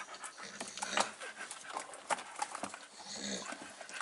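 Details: Staffordshire Bull Terrier puppies, five weeks old, recorded 27 September 2020 at home with their mother; irregular breathy panting bursts with soft clicks and a few sharper squeaks, a woman speaking gently in French nearby.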